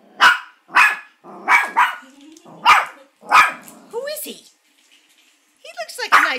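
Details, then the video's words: Maltipoo Molly barks at an oil painting of a grandfather: five sharp barks roughly every half second to second, a rising whine, a quiet gap, then a burst of quick yaps with whines. "Molly barking at Grandpa painting"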